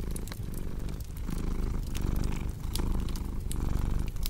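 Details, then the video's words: Domestic cat purring steadily in a low, rumbling drone that swells and eases in roughly one-second breathing cycles, with sharp crackles and pops from a cozy fireplace scattered throughout. "Purring Cat with Cozy Crackling Fireplace Sound"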